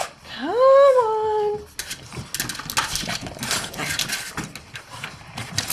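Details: A Boston Terrier at lunchtime, being let out to go outside, makes a single rising then falling whine, held briefly and tapering off, followed by rustling, footsteps and indoor clatter.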